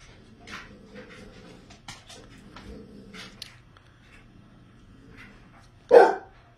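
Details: Basset Hound indoors in a stand-off with housemate Oliver over a favourite dog bed; low soft grumbling murmurs through the first seconds, then one sudden loud sharp bark near the end, with a woman's voice faintly heard.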